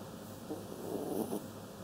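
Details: Sleeping Kaninchen Dachshund giving a single soft, rough snore lasting under a second, rising and fading against constant low hiss.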